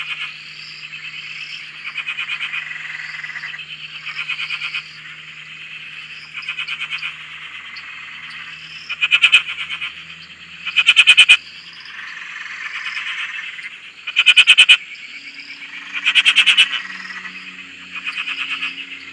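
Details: Frogs calling from a dam in Australia, a dense chorus of overlapping high trills and rising chirps, with louder pulsed bursts every couple of seconds and a low steady hum beneath.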